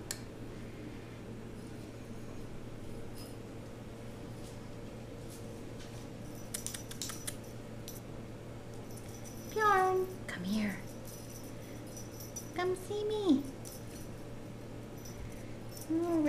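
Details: RagaMuffin kittens of the Vikings litter at eight weeks old, indoors: two short, high meows several seconds apart, each bending down in pitch, over a steady low room hum with scattered soft clicks and rustles.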